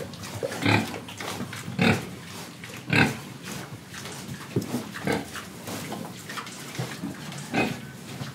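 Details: Pig in Indonesia, oinking, breathing and eating: a run of about seven short, rough grunts, the loudest three close together in the first three seconds, then softer grunts spaced irregularly, with low snuffling between them.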